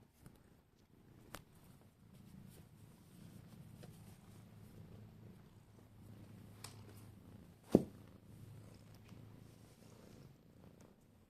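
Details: Domestic cat purring, happy to see its owner indoors; a low, steady rumbling purr runs through most of the clip, with a few soft clicks and one sharp tap near the end.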